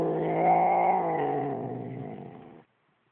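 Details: Domestic cat, upset and growling at its owner, gives a sustained low moaning growl, steady at first then sagging and fading before stopping abruptly.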